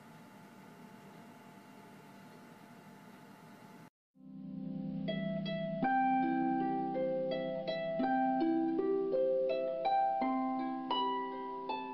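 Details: A low hum gives way after a brief silence to plucked harp-like music with a lively melody.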